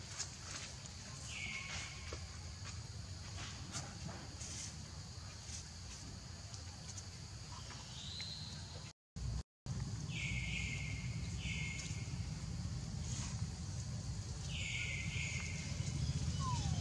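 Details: Baby monkey Leo, hungry and crying to beg its mother for milk: short, high, whistled cries that slide downward, often in close pairs, recurring every few seconds over a steady low rumbling background, with a brief break partway through.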